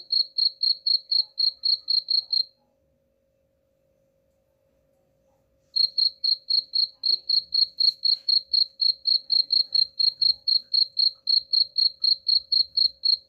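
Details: Cricket chirps, shared as a rat-repelling sound. Regular high pulses come about four per second, break off into silence for roughly three seconds, then return and continue unchanged over a faint hum.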